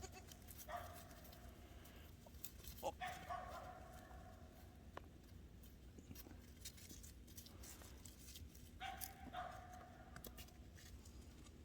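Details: Seven-day-old Boer goat kids at play with the mother nearby: three faint, steady, nasal bleats spaced several seconds apart, over a constant low hum and scattered clicks and rustles.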